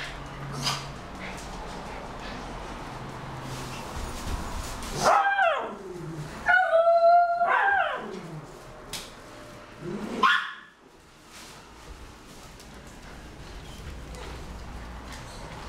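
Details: Homer, a miniature schnauzer, whines while holding his favourite big ball in his mouth. High, tonal whimpers fall in pitch and come in short bursts mid-clip, with one last whine later. A steady low indoor hum runs underneath.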